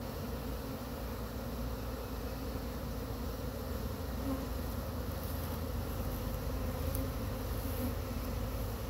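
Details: Agitated honey bees from a swarm brushed off a pine tree into a frame box near Chattanooga, giving a dense, continuous low buzzing drone with no clear pauses.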